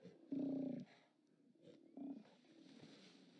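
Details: Steller sea lions at a haulout, 29 October 2017: two brief, gruff low roars, the first about half a second long and the second shorter, with a faint murmur of background noise between them.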